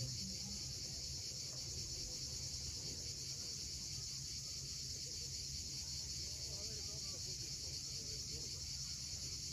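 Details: Cicadas at sunset on the steep coastline of Cape Fiolent in Crimea, producing a dense, constant high-pitched drone throughout, over a gentle low murmur of sea waves and faint bird notes.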